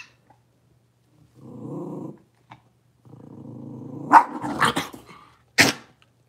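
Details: Blenheim Cavalier King Charles Spaniel puppies, a litter of five born on New Year's, settling into a bigger pen: low rumbling puppy growls in two bursts, then sharper yips and a final short bark.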